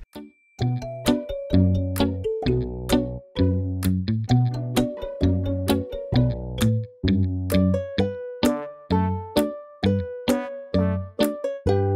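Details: Bright, bouncy instrumental music plays throughout, with no animal sound heard.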